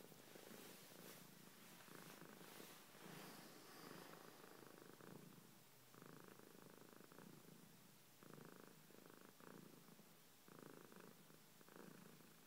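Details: Georgia, a pet cat, purring steadily in low rumbling bursts about a second long, each inhale and exhale as a separate block, with some brief scratchy broadband noise early on.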